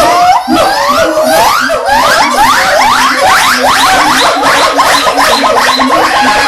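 Monkeys give a fast chorus of rising, swooping whoops that overlap and repeat many times a second.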